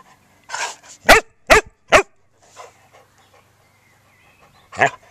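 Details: Welsh Springer Spaniel, a male nearly four years old, playing in a garden with his toys; a soft breathy sound, then three sharp loud barks about half a second apart, and one more bark near the end.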